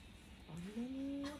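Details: Kohaku, a pet Chihuahua indoors, protests angrily when someone tries to go back to the room, wanting to keep the beloved daughter close; a single tonal whine starts low, slides upward, then holds a steady, slightly rising pitch for under a second.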